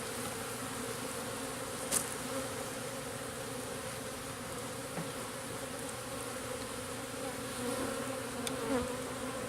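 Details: Swarm of local bees settling into a new garden-style backyard hive during its first two days, giving a continuous even drone with a steady tone, plus occasional faint clicks and one brief high tick.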